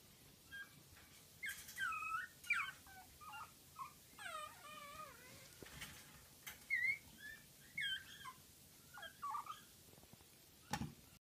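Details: A cream Pomeranian puppy gives a string of high, wavering whines and whimpers with short pauses between.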